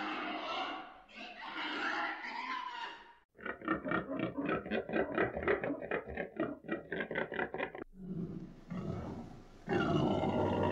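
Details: Pig grunting: harsh squealing opening, then a fast train of short rhythmic grunts several per second, followed by louder rough squeals at the end.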